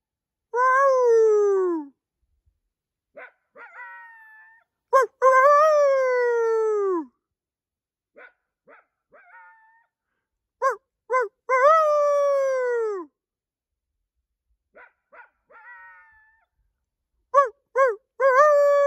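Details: At night beneath a full moon, a coyote being called in answers with long, falling, wavering howls broken up by short, sharp yips.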